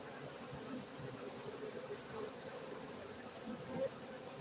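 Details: Soft, constant hum of many honey bees at an apiary in Bener Meriah, Gayo, Aceh, Indonesia, over a faint high, rapidly pulsing tone in the background.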